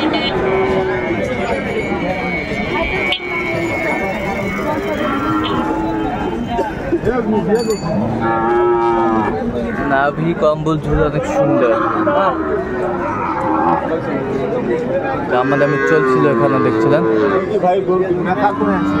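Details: Sahiwal bull calves at Ambari cattle market in Dinajpur, Bangladesh, on 11 March 2024 at the start of Ramadan: repeated mid-pitched bellowing moos rising and falling, heard among steady crowd chatter and market noise.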